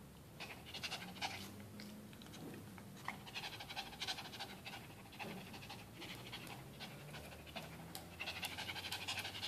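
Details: AJ, a pet dog, pants rapidly after a game of tug of war with his beloved towel: quick breathy bursts, about three per second, fairly uneven in rhythm, over a steady low indoor hum.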